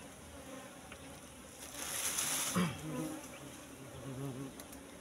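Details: ['Asian honey bees (Apis cerana) droning around a wild nest in bushes while the comb is handled; steady hum overlaid by a loud rustling scrape in the middle.']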